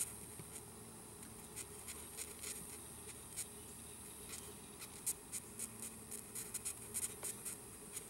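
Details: Red velvet ant, a wingless wasp called cow killer, squeaking while held before release; short sharp raspy pulses repeat irregularly, clustering into quick trains toward the end over steady background hiss.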